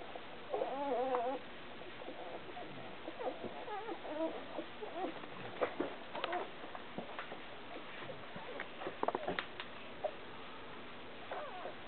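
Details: Alaskan Malamute. Newborn Alaskan Malamute puppies make high, quavering squeaks and whimpers, some rising and falling in short warbles. The calls come in scattered bursts over a soft background hiss.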